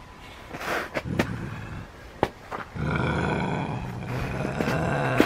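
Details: Max, a male Canada lynx, starts with a few sharp clicks and taps, then after a pause lets out a steady, low, rumbling growl lasting about two and a half seconds.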